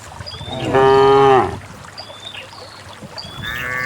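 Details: Herd of cows being led downhill to a green valley pasture; one strong, rich moo lasting under a second, followed by faint bird calls and the start of another distant moo.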